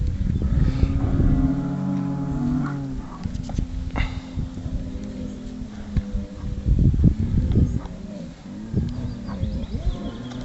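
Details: Highland cattle bulls making wookie-like sounds: loud, drawn-out harmonic moans and groaning bellows, several long tones held for a couple of seconds, broken by rough grunts and low rumbling, with other calls overlapping.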